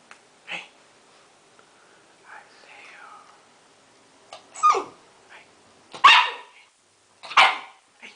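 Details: Blue pit bull puppy named Jah, seven weeks old, giving short, sharp high-pitched barks, scattered and irregular, with louder bursts toward the end and faint background sounds between them.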